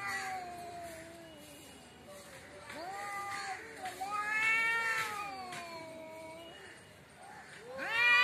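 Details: Cat in front of a house giving long, wavering meows that bend up and down in pitch, some strained and rising, a loud yowl at the end, with faint background noise.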